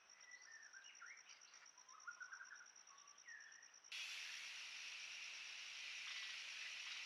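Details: At Rocky Pool, Huai Khayeng Nature Park, in April 2024 at about 43C, trail-camera audio: a steady, high, whining drone of cicadas swells halfway into a loud, harsh, hissing roar; before it, birds give short whistled and warbled phrases.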